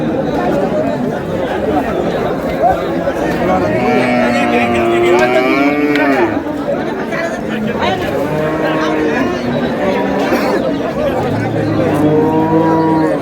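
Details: At Ambari Haat livestock market in Dinajpur on April 24, 2026, a cow with calf lets out drawn, bending moos around the middle of the recording, partly masked by busy crowd talk and trading.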